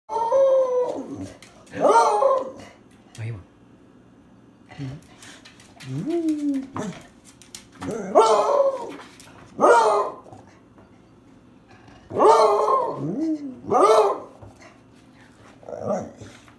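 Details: A beagle that has been given a bone gives a run of howls and bays, each a rich, wavering note that swoops up and then sags, with a person's voice in the background between howls.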